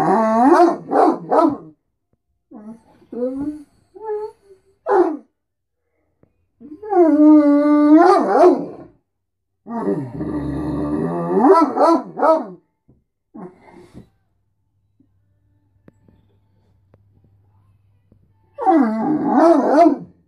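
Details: A Great Dane gives drawn-out, wavering groans and howl-like moans in bursts, as he does every morning, demanding food and attention.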